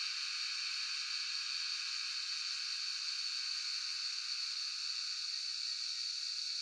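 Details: A cicada chorus in Shivapuri National Park (Tarkeshwor), recorded on a cellphone, produces an unbroken, shrill, sizzling hiss in a high buzzing band, level and even with no breaks or rhythm.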